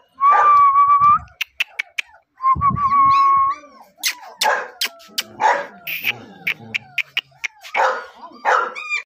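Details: German Shepherd puppy with a double coat: drawn-out high whines followed by a mix of short barks, yelps and squeaks, irregularly spaced, indoors.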